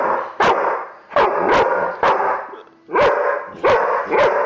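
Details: Puppy barking in a rapid series of about seven sharp, loud barks, spaced roughly half a second apart, with a brief pause midway.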